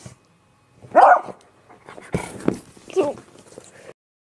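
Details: Beagle giving a loud, harmonic bark near one second, followed by rougher, noisier yelps and a second tonal bark around three seconds, with short whimpering sounds in between and a quiet room behind.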